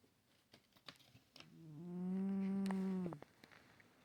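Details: Stache the cat snoring in sleep: a single tonal, nasal whistling snore lasting about a second and a half, preceded by soft ticking and rustling noises.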